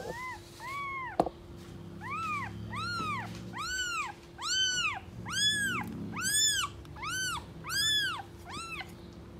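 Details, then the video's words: Stray mother cat with kittens on the street, the mother angrily keeping others from approaching: a long sequence of loud, arched meows, about one a second, growing brighter and more urgent, over a constant low hum. "Angry Mother cat protects her Kittens and doesn't let anyone approach them"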